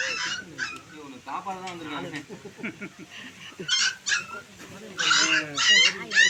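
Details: Puppies dumped in a well at Ganapathipuram cry at night during their rescue. Sharp, high whimpering yelps rise in short clusters between men talking close by.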